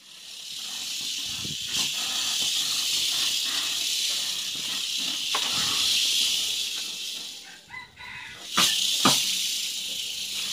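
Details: Malayan porcupine attacking, producing a steady, harsh rushing hiss that swells and fades throughout, broken by a few sharp clicks and knocks.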